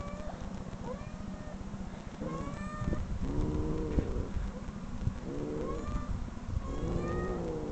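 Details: Domestic cat meows played back from online videos: a run of short, tonal, slightly rising mews that come about once a second. A steady low rumble runs underneath throughout.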